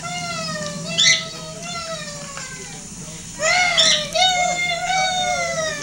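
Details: Dog Shelby joins in with a recording of her own howling, giving steady, rich-toned howls that dip and rise gently, two main bursts with a softer held note between them.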